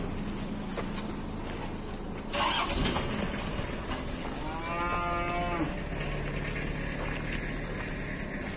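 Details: During the 2022 Qurban loading of cattle onto a truck in Indonesia, a single lowing moo rises and falls over roughly a second, with a thud beforehand and continuous vehicle drone throughout.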